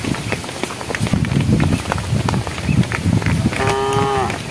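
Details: Cows of a herd walking along a project road toward evening, calling to the herd: a single short, fairly high moo near the end, level then slightly falling, after several seconds of shuffling footsteps and rustling.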